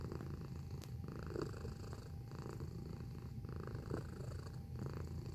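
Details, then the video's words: Domestic cat purring at close range, a steady low rumbling throb that continues without a break, with faint soft clicks and rustles above it. "Purring Sound Effect"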